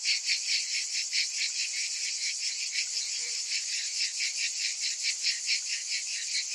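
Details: High, hissing cicada chorus of summer, pulsing rapidly at a little over two beats a second in a continuous, unbroken wall of insect sound.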